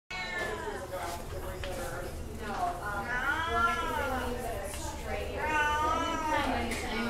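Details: Domestic Shorthair cat up for adoption, recorded 12 August 2016, giving two long drawn-out meows that rise then fall, each lasting over a second, over a steady indoor hum with a person's voice in the background.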